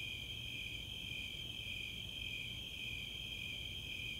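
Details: Summer night chorus of Snowy Tree Crickets and Four-spotted Tree Crickets in the open space of Chautauqua, Boulder, Colorado: a dense, steady, high-pitched shimmering trill that runs unbroken throughout, with faint low rumble underneath.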